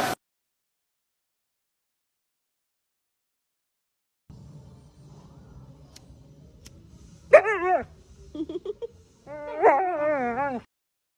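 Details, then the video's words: Siberian Husky being dramatic: after a long near-silent stretch and faint low rumbling, two wavering, yodel-like howled vocal bursts with rich harmonics sweep up and down, separated by brief choppy sounds. "huskies being dramatic"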